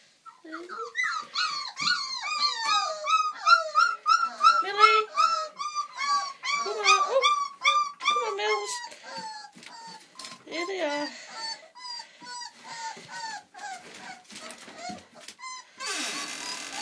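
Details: Old English Sheepdog puppies at four weeks old, Millie's litter, indoors, making a loud racket of rapid, high-pitched squeaky whines and yelps, many overlapping cries about three per second, fading to thinner squeaks near the end.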